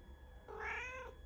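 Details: Indoor pet cat responding to its owner with one clear, drawn-out meow, slightly rising then falling, against quiet background hum.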